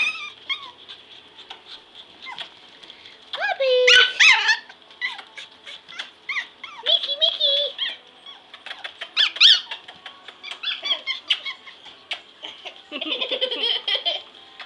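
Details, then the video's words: Pomeranian puppies, five of them, romp and play on a floor indoors: shrill squeaks, yelps and thin whines come in irregular clusters over fifteen seconds, with pattering paws and a constant faint electrical whine. "Pomeranian Puppies Play"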